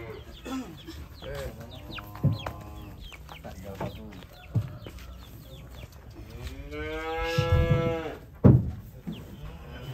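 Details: As cattle get off a truck, short nasal moos come first. Then one loud, full-throated bellow rises and falls over about a second, amid thuds, footsteps and faint voices.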